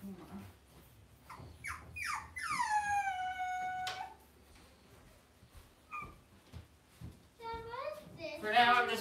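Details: Cavalier King Charles Spaniel puppies, raised indoors in a home puppy pen: a long, high, whining cry that slides steadily downward, followed by shorter rising squeals near the end, with people talking quietly in the room.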